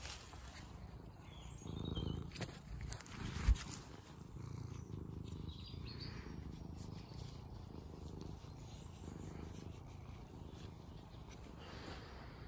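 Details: Formerly wild, now tamed cat on a farm in County Kilkenny, Ireland, seeking attention and head scratches: soft, continuous low rumbling purr with a faint rhythmic pulse and one brief knock partway through.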